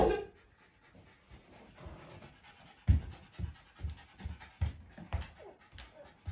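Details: Shiba Inu named Ringoro, born January 2018, indoors at home and wound up in a post-exercise high after a dog run and long walk. Rhythmic, breathy panting comes in short low bursts, quickening toward the end, with faint household noise behind.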